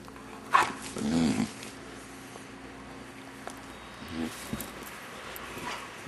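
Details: A 6-month-old male Vizsla, who always starts making weird noises when his owners do a certain thing, lets out a quick sharp yelp, then a low, drawn-out throaty grumble lasting under a second; quiet room noise and faint human voices follow.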